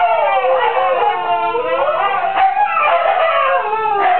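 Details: A chorus of female Siberian huskies, howling beside a neighbour's chickens: dense overlapping wails with wavering pitch, sustained without pause across the whole stretch.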